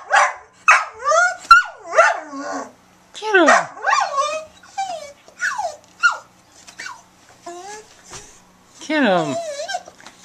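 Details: Sadie, a brown Border Collie mix aged eight in the Bahamas, making an unusual run of barks mixed with bending, sliding yowls and whine-like notes, coming in irregular bursts with a person talking between them.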